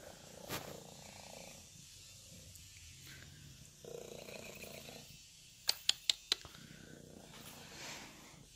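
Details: A tortie kitten purring loudly as a continuous soft rumbling texture, with a quick run of four sharp clicks midway and faint household background.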